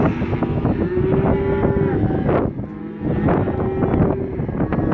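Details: Black Angus bull calves, a lot of 67 weighing 180 to 190 kg, lowing together: several overlapping moos, one long steady bellow held over a second, with clattering knocks and a short quieter gap midway.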